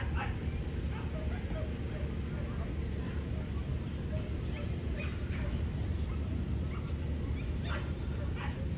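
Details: Female Corgi at the Niigata Prefecture club federation dog show on 11 June 2022, during Best of Breed judging; several short, sharp barks scattered through the clip over a steady low hall rumble and murmuring voices.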